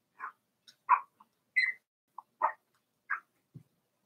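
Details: Four-week-old Cavalier King Charles Spaniel puppies from Daisy's litter in their puppy pen give short, high squeaky whimpers, about seven brief yelps scattered over four seconds with silent gaps, plus one lower grunt near the end in a quiet indoor room.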